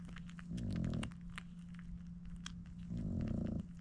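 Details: French Bulldog puppies, seven in the litter, nursing from their mother Dooney indoors: two low, throaty, purr-like grunting bursts about half a second each, with wet smacking clicks between and a steady electrical hum underneath.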